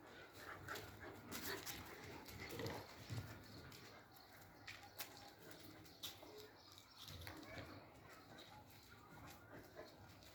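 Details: Three-month-old German Shepherd puppies, a male and a female, giving soft whimpering and yelping sounds scattered through the clip, mixed with human voices and broad background noise indoors.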